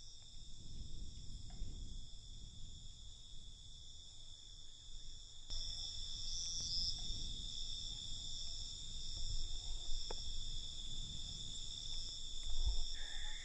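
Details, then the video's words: Nocturnal crickets keep up a constant thin, high trilling drone, which brightens and swells after about five seconds, with low rumbling noise and a few faint clicks underneath. "Night Cricket Sound"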